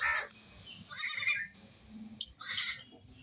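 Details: Baby goats playing give short, wavering bleats, three or four brief cries spaced apart, over a steady low hum and faint background noise.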